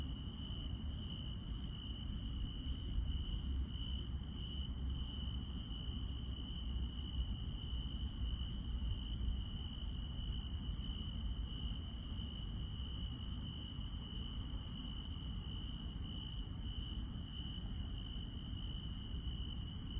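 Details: Insects chirring on a country night: a steady high trill plus a very high chirp repeated regularly, about every three-quarters of a second, over a low continuous rumble.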